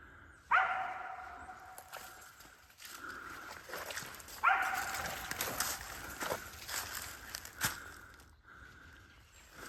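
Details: Dog barking at a treed squirrel during a hunt outdoors. Two sharp, ringing barks about four seconds apart, each trailing off briefly, over a faint steady hum and light rustling.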